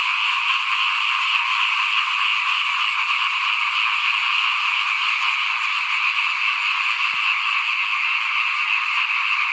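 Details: In front of a house at rice sowing time, 2021, frogs keep up a constant, dense chorus of shrill overlapping croaks, with a single faint low knock near the end.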